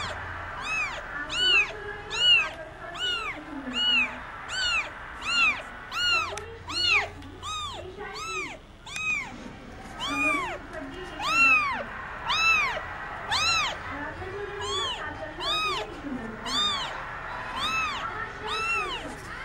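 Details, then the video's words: A baby street cat from India cries during play, giving a long series of arched meows about once every second, bright and high, with varying loudness and some softer low sounds between calls. "Cute baby cat crying and playing indian street cat"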